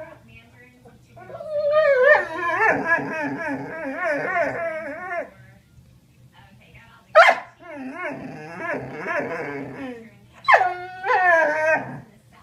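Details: Doberman dog 'talking' indoors: three bursts of warbling, yodel-like whines and moans, each wobbling up and down in pitch for a few seconds, separated by brief pauses and sharp yelps.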